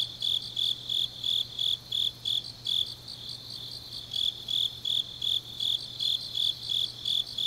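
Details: High-pitched chirping from grass insects on a deep autumn night in Changnyeong, Korea, the pulses bunching unevenly in short runs, while a second fainter insect voice flickers above and a dull low hum persists.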